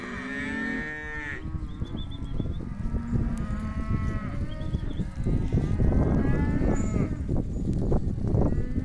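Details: Hereford calves, male and female, at auction: a single clear drawn-out moo opens, then a faint lowing in the middle. Mostly clattering and shuffling noise from the pen follows.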